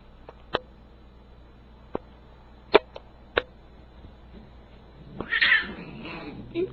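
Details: Siamese cat; meow; demanding catnip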